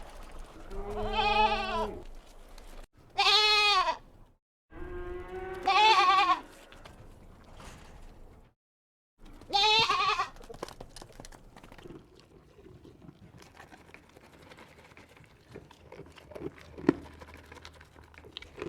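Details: Young goats on a farm set on a mountain give loud, quavering bleats in four separate bursts of one to two seconds each, the last around ten seconds, followed by quieter rustling and farm background.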